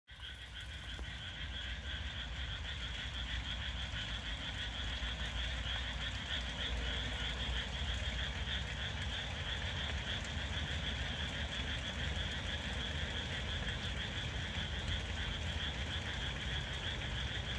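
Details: Japanese tree frogs calling in Nishi-ku, Hiroshima; a dense, continuous chorus of rapid rasping croaks, many voices overlapping, over a constant low rumble.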